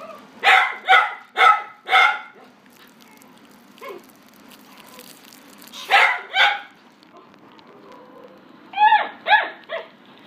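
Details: White and cream female Chihuahua, born 2018, in a pet shop, giving a run of four sharp barks, a lone soft yap, then two later clusters of higher barks over a low background hum.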